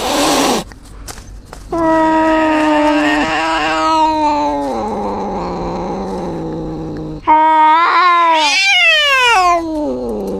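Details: Yowling from an injured cat: a sharp cry, then a sustained, wavering mid-pitched wail that drops lower. It ends in a rising, strained shriek that falls away steeply.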